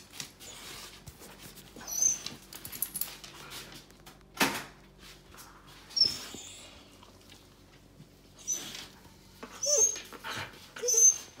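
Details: Elderly Samoyed named Pasepon, trembling with excitement indoors and insisting on going out, mistaking a trip to the hospital for a post-surgery forehead check as an outing; thin, very high whines come in short bursts between breathy snuffles and rustling.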